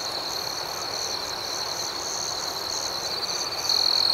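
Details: Nighttime cricket chorus of continuous high, shimmering trills layered with faster pulsing, and a louder, sharper trill beginning at the very end.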